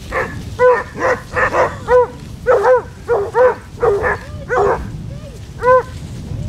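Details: Basset Hound pack of 16 on a December walk across Marlborough Downs, North Wiltshire: clear, tonal bays repeated about twice a second, a couple of softer yelps near the end, faint background rumble.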